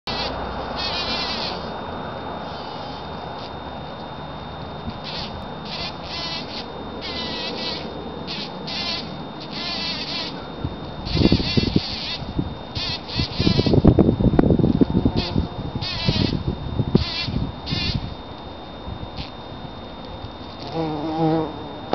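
A bumblebee hums with a low, steady drone that swells and fades as it moves nearby.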